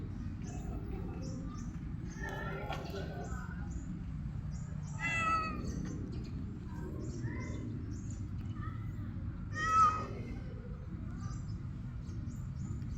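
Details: Hungry stray cat that stops hunting a bird once offered food, giving two short harmonic meows about five seconds apart over a steady low rumble of background noise, with softer scattered sounds in between.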